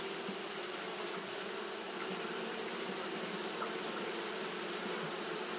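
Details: Steady, unbroken buzzing of Japanese honey bees fanning in hot weather: a low, throbbing drone overlaid by a continuous high sizzle.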